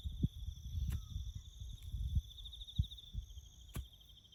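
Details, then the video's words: Steady high cricket trill with a faint higher band persists in the bush, nearly drowned by low thumping knocks and rumble from farm work on a road. "#crickets chirping"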